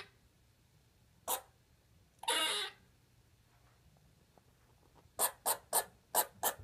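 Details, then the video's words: Lexi, a pet squirrel, finding her voice: a lone chirp and a harsh breathy hiss, then a quick burst of six short sharp chirps in rapid succession. "Lexi the Pet Squirrel fist words"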